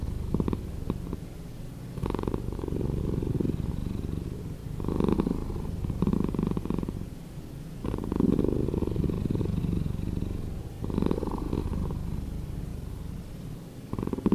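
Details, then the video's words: Domestic cat purring, edited to play slower: a deep, grainy rumble that swells and fades in long waves, louder phases returning about every three seconds, steady and unbroken throughout. "Cat Purring"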